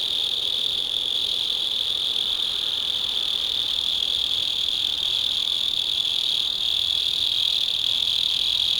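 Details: Night song of a mole cricket, a burrowing insect living under the soil of a home garden; one unbroken high-pitched trill that runs evenly throughout with no pauses.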